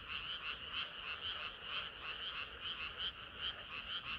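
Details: Many frogs singing together on a hot summer night, a dense continuous chorus of rapid pulsing croaks around two to four thousand cycles, pulses overlapping several times a second with no other sounds.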